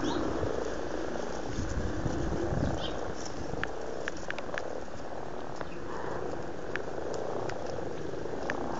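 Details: Several amorous frogs calling in a pond in Blarney, Cork, Ireland, in February 2012, producing a dense, rumbling purr of overlapping croaks with no pause, plus scattered faint clicks.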